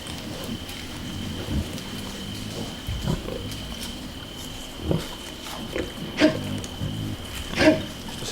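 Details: Wild boar grunts and snorts, low and rough in irregular bursts every second or two, from a group of wild boar on an August night in Extremadura, Spain, over a steady hum of crickets and grasshoppers, with wind in the treetops.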